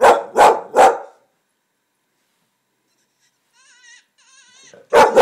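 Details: Three rapid, forceful barks from Finnegan, an English Springer Spaniel confused by coyote hunting calls on a computer, then a silent pause, faint wavering coyote cries, and one more bark.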